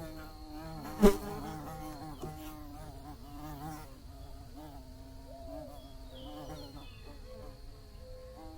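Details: Buzzing bees: a rich, low, droning hum with layered overtones that wobbles up and down in pitch as the insects fly about. There is a sharp click just after the first second and a thin, steady high whine in the background.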